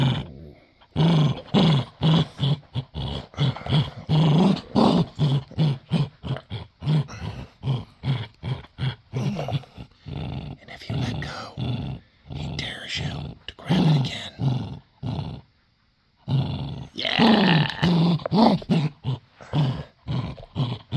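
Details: Male pet Dachshund growling while playing tug of war over a toy he does not want to give up. Rapid pulsed, throaty growls run in bursts of short rumbling beats with brief pauses, a longer silence near the middle.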